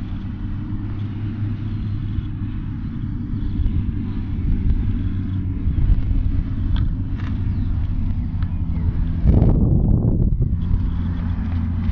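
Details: Heavy low engine and vehicle rumble outdoors, rising briefly in a louder revving burst, with no animal calls heard.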